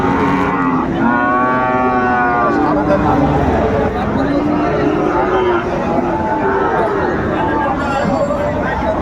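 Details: Lowing of Friesian and crossbred bull calves at the Raniganj haat livestock market, 28 August 2024. A strong moo sounds early, then softer bovine calls follow beneath loud market talk and bargaining voices.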